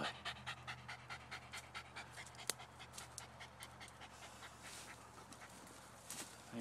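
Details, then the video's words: Jack Russell/fox terrier just after killing a groundhog, panting hard in quick rough breaths, about two per second, while a man's voice praises the dog nearby. "Jack Russell/fox Terrier vs. Groundhog"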